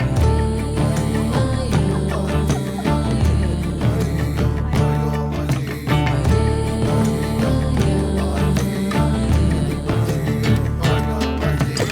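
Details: Loud instrumental music with a steady beat and layered tones fills the whole stretch, with no animal calls.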